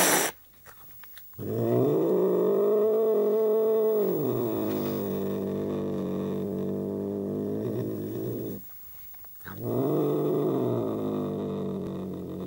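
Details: Angry British Shorthair cat giving a long, low, droning growl with a rich harmonic buzz. It rises slightly in pitch early on and holds for about seven seconds, stops briefly, then starts again. A short exclamation is heard at the start.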